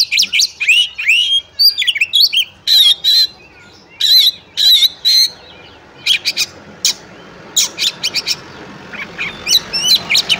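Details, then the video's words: Oriental magpie-robin in fighting song, used to test another magpie-robin's nerve: loud varied whistles and harsh sharp bursts, several short fluting phrases, with gaps of quiet background hiss between. "Kacer Tarung Ngobra Full Tembakan Cocok untuk Ngetes/ Nyoba Mental Kacer Lain"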